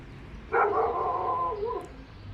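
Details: Dog inside an apartment building heard by neighbours: one drawn-out muffled bark that slides downward and trails off, over a faint low indoor hum.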